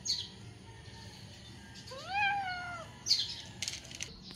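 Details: A single drawn-out meow from a hungry stray cat begging for food, arching up then sliding down, surrounded by soft background hiss and brief clattering sounds.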